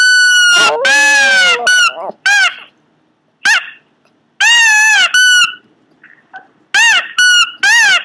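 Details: A Pomeranian lets out strange yelping whines, one long, quavering, almost vocal cry among shorter high squeals. The cries arrive in uneven bursts with quiet pauses between.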